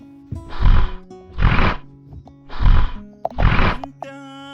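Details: Hippos hiding in bushes beside a riverside lodge at night on a Uganda and Rwanda safari, heard all night and likened to big pigs: four deep, rough grunting bursts about a second apart, over background music.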